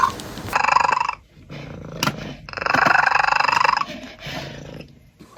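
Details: Domestic cat making strange sounds: two long, wavering yowls with a pulsing, growly texture, each lasting one to one and a half seconds and separated by a short pause.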